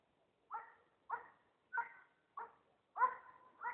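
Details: German Shepherd named Emy searching for a missing person on the surface in a snowy area, giving six loud, harmonic barks spaced roughly half a second apart, the last two coming closer together, against a quiet background.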